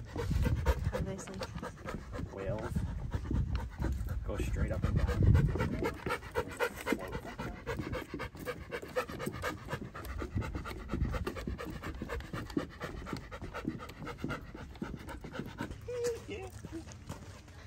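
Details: Male Bernese mountain dog on his first hike, panting fast and steadily at about four breaths a second, with people talking over the breathing throughout.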